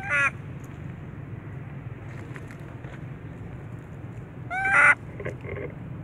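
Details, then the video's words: Little baby monkey said to be recovering from a mental defect, crying loudly: two harsh, harmonic-rich wails, one at the start and a longer, louder one near the end, over a steady low hum of background noise. "Little Baby Monkey,Crying Loudly"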